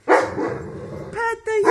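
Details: Indoor group howling by wolfdogs and a wolf puppy, begun when one jealous dog got loud during petting and another joined in. One long, steady, harmonic howl holds its pitch, then a clearer, higher tonal note follows.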